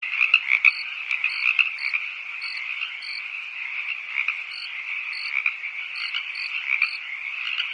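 A dense night chorus of toads trilling steadily, with crickets chirping in regular pulses above.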